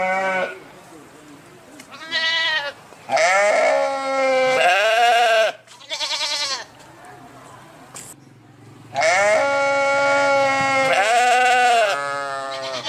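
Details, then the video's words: Repeated sheep bleats, roughly one a second, short wavering cries alternating with longer drawn-out ones, with brief quiet spells between them. "صوت الخروف | the sound of the sheep"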